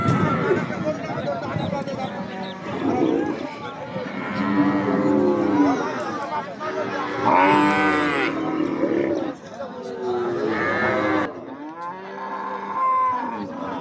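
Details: Cattle at a busy livestock market in Gazipur ahead of Eid al-Adha, bellowing in a series of drawn-out, arching moos, roughly four in a row, while people talk and bargain over the herd in the background.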